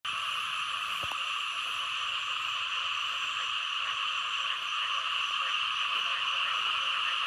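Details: Frogs, including small frogs, calling in Thailand: a dense, unbroken chorus of many overlapping callers forming a steady high buzzing wall of sound, with rapid faint pulses beneath and one sharp click near the start.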